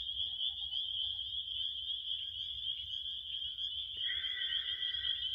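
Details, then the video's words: A continuous shrill cricket trill rings on one high pitch. Partway through, a second, lower buzzing insect voice joins and continues to the end over a soft low background hum. "7 minutes of relaxing crickets"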